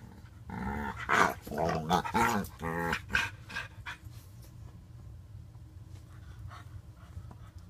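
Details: Two dogs, a white French bulldog puppy of five months and a five-year-old blue nose pitbull, recorded indoors on July 2, 2014: a burst of harmonic, growly yowls and whines lasting about three seconds, then near quiet.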